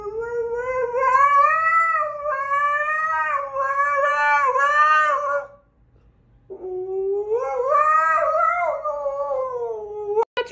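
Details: Siberian Husky howling in two long, wavering phrases separated by a brief silence, each sliding up and down with a bright, rich tone, ending in a short sharp sound.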